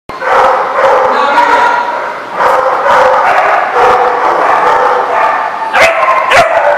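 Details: Several dogs barking together in a busy chorus, overlapping harmonic barks and yips with a few sharp clatters near the end.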